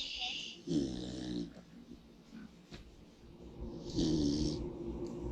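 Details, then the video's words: A pig asleep in the sun snores loud. Two heavy, buzzing, vibrating breaths are separated by a quieter stretch with faint snuffles, and each is accompanied by a rushing hiss of air. "Pig Snores for 4 Minutes"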